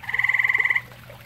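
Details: A single grey tree frog trill from a pond also used by common toads: a quick rattle of around sixteen rapid pulses lasting under a second, then quiet with a faint low hum.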